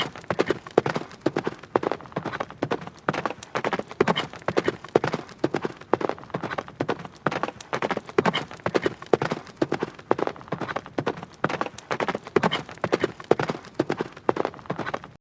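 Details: A horse gallops, its hooves drumming in a fast, steady rhythm of sharp thuds.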